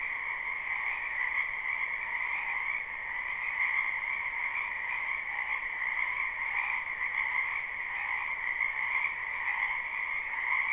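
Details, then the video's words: A wetland full of frogs in spring, taped live with no looping; dense trilled croaking runs without a break, a high bright band over a lower throbbing one, faint pulses of louder calling, otherwise quiet. "Ambient Noise for Sleep Frogs"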